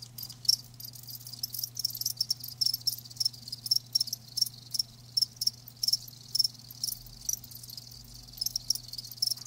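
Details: Live crickets chirping in short high-pitched bursts about every half second, the pulsed trills steady across the recording, with a faint low hum beneath.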